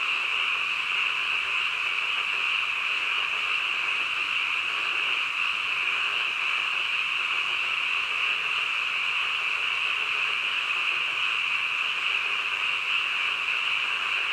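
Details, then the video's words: Night-time frog calls blend into a steady, high, ringing chorus that runs unbroken for the whole stretch at a uniform volume, with no other sounds. "한밤중 개구리 울음소리"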